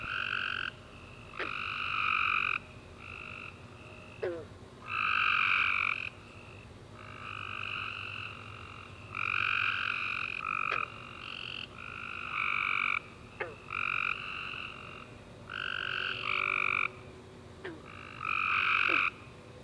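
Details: Tree frogs chorusing at night after a warm rainy summer day: dense overlapping chirped trills, bursts of about a second repeating in quick succession, with sharp clicks scattered between.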